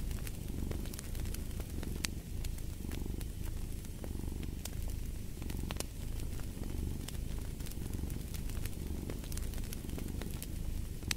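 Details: Soft, deep purring from a cat, gently pulsing in breath-long waves, mixed with a dense sprinkle of crackling and hissing from a fireplace.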